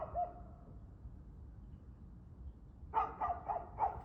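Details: Dog at 6:02 pm, 2/6/2024, giving one faint distant yelp, a quiet gap, then a rapid run of four loud barks at the end, with low background hum.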